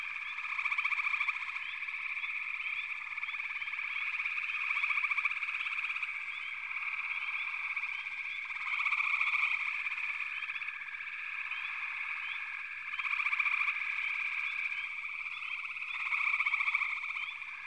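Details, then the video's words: Many frogs calling together in a backwater chorus, an unbroken layered trilling hum with rhythmic pulsing, swelling louder roughly every four seconds, brief high chirps scattered on top. "Backwater Chorus, & Frog Chorus"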